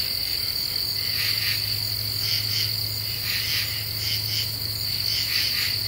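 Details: Half-moon night in Eastern U.S. deciduous forest, Ozarks, July 2013: common true katydids produce softer grouped rasping pulses, spaced irregularly, against a steady high-pitched insect whine and low droning hum.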